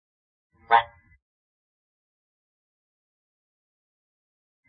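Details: One of two male giant waxy monkey frogs (Phyllomedusa bicolor) gives a single short, harsh croaking note, followed by silence.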